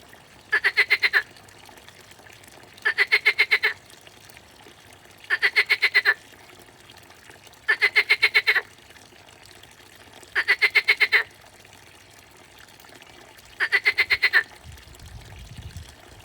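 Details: A frog in the grass gives short, rapid pulsed trills, each under a second, repeated about every two and a half seconds.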